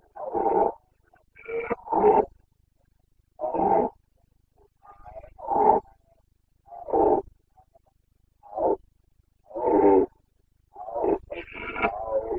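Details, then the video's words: Rutting Carpathian red deer stag, boncănit of the breeding season in Bucovina forests, 29 September 2022; a steady run of deep, harsh, harmonic roars, about one every second or so, several doubled, the last ones rougher. "Boncănit / Carpathian stag Breeding season"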